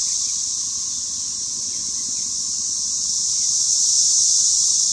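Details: Spring 2015 cicada invasion filmed in a home yard: dense, deafening high-pitched buzzing chorus, steady and shrill, slowly growing louder toward the end.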